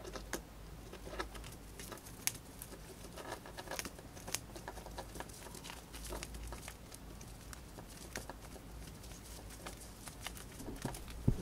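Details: Pet hamster, a female, eating dried corn indoors and finishing it quickly: dense, irregular crunchy clicks and crackles of gnawing over a low steady hum, with occasional sharper snaps.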